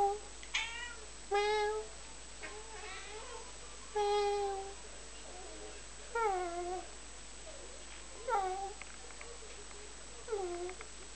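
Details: Indoor cat being talked to, meowing repeatedly over eleven seconds: about eight short meows, the later ones sliding downward in pitch and sounding plaintive, spaced roughly one to two seconds apart in a quiet room.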